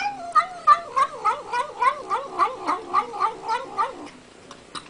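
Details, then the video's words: Cat vocalizing while eating, a rhythmic series of short, mewing "nom nom" sounds repeated about three times a second for four seconds, with a person's voice nearby. "Cats saying "Nom Nom Nom" while eating"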